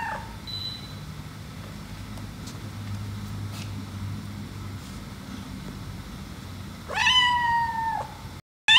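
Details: White house cat reacting jealously as the black cat is petted: one long, drawn-out wavering meow near the end after several seconds of low room hum, ending abruptly.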